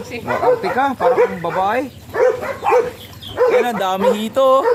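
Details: Beagle dogs Uranos and Rhida during breeding, giving a run of short, arching whines and yelps several times a second, some held as steadier nasal tones, with human voices talking alongside.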